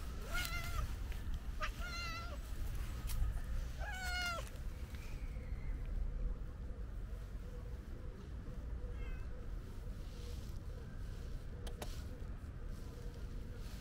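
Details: Calico cat, a stray, meowing: four clear harmonic meows in the first five seconds, some bending downward at the end, then a faint meow near nine seconds, over steady low traffic rumble and a constant hum.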